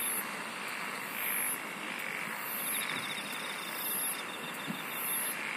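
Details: Singing insects give high, piercing chirps about once a second alongside a fainter buzzing trill, all set against a dense, even rushing hiss.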